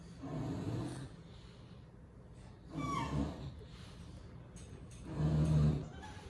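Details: English Bulldog from Miami giving three deep, raspy snorts, each about a second long, separated by quiet breathing and faint handling noise.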